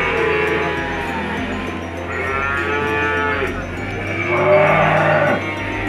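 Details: PO feeder cattle offered for sale in Indonesia, about two years old, lowing with long drawn harmonic moos, two main calls in the middle and end, over steady background music.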